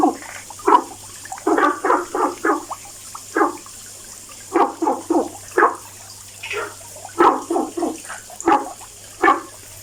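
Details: Frog making its daily noise; bursts of throaty, bubbling croaks delivered in quick runs of two to four notes, pausing between runs, over a low steady background hum.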